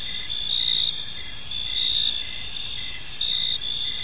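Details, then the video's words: Several crickets trilling in an evening park, a steady high-pitched chorus with one clearer chirp returning about every second, over faint low background noise. "Park Serenade: Cricket Sounds in a Peaceful Park | Evening Ambience"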